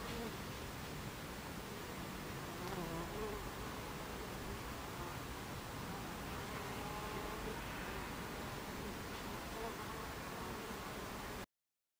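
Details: Buckfast bees at a beehive entrance, recorded 26 July 2013 at 14:30: a continuous broadband humming drone of many wings, steady in loudness throughout, with no distinct individual calls standing out.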